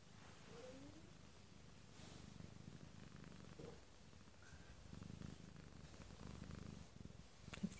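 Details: A sleeping domestic cat purring softly indoors: a low, steady rumbling purr in gentle pulsing waves, quiet throughout, with faint rustles and a brief soft click near the end.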